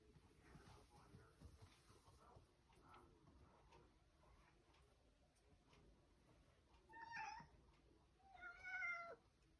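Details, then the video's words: Indoor cat demanding access to the fridge, giving two short meows near the end after several quiet seconds of faint room noise and rustling. "Cat demanding access to the fridge"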